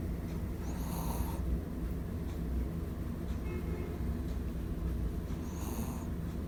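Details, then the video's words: Pipoy, a pet Shih Tzu, snoring loudly while asleep on a bed: a steady low rumble throughout, with two brief whistling, nasal-sounding breaths about four and a half seconds apart. "Pipoy the Snoring Shih Tzu"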